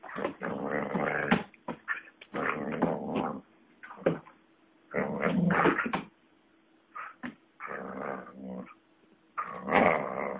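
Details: Lurcher collie cross dog growling while playing with a rope, long rumbling growls in bursts of one to two seconds mixed with whiny yips, repeated with short gaps throughout.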